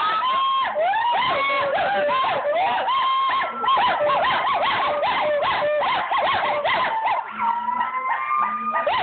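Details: Overlapping gibbon voices (siamang, pileated, Nomascus, Javan, hoolock) give rapid bouncing whoops and rising-then-falling tonal notes. The calls run continuously, and a few long, steady, level wails come near the end.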